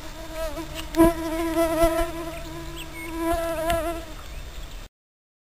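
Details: Mosquitoes whining at night beside a tent on the stony Vidzeme coast of the Gulf of Riga, Latvia, as light rain begins; a steady, thin, wavering buzz with overtones lasting nearly five seconds, with soft patter and faint knocks.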